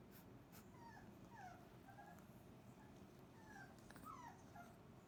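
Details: Well-fed Cane Corso pups from Didi's and Lexi's litters lie in a dog pile after breakfast, giving scattered short whines and squeaky yips, some sliding downward, against a constant low background hum.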